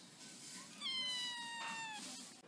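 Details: Playful domestic kitten lets out a drawn-out, clear meow lasting about a second, starting high and slowly sliding lower, while a person's voice murmurs faintly in the background.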